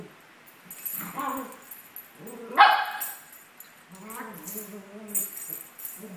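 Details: Maltese dogs Sunny and Moony, 17 months old, at play, giving a short sharp bark in the middle, wavering whiny growls before and after, and light tinkling noises in the background.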